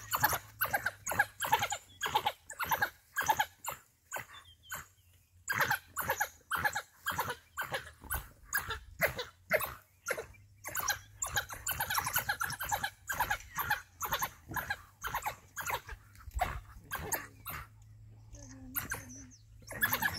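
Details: African wild dogs from a pack that ran into a huge male lion while hunting in Balule Nature Reserve; short, harsh calls follow one another about twice a second for twenty seconds over a faint low hum.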